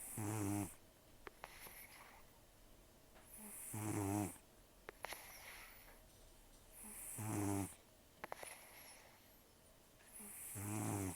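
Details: Taro, a mild-mannered, nearly toothless rescue cat aged about 10–14, snoring deeply in his sleep; four long, grating snores come at a regular pace, with light ticking sounds between breaths.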